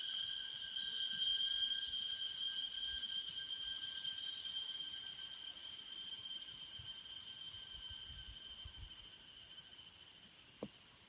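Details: Cicadas in Taroko National Park, Taiwan, sing a steady, high, ringing drone that holds one shrill pitch without a break.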